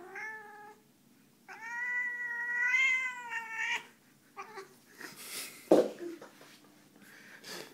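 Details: Female house cat complaining as she is picked up, giving a long wavering moan that rises slightly then breaks off, followed by a shorter yowl and then rustling and handling noises.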